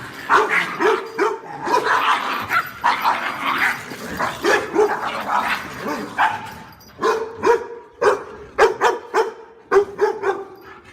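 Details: Dog barking meant to startle household cats and dogs: dense, overlapping harsh barks in rapid bursts, seemingly more than one dog, with short pauses around six seconds and sharp repeated barks toward the end.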